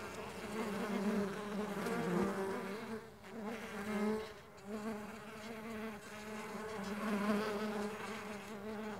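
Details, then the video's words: Flying Mandaçaia stingless bees make a continuous rich buzzing hum that rises and dips in loudness as several insects drift nearer and farther, with a brief lull midway. "STINGLESS BEE SOUNDS"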